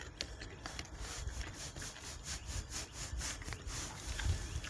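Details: Wild boar smacking noisily while eating a carrot: rapid, rhythmic wet chewing bursts repeat several times per second, broadband and rasping, with low rumbling underneath.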